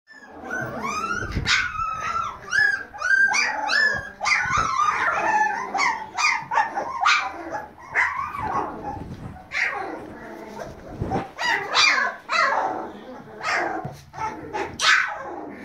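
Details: Litter of baby Siberian Husky puppies howling together: overlapping high, wavering, rising-and-falling cries and short yips in quick bursts, several voices at once with brief pauses between.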